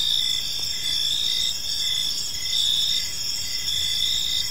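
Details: Crickets in a tranquil park in the evening, producing a bright, unbroken high trill with short rhythmic chirps layered on top, loudness nearly constant, a soft low hum of background noise below.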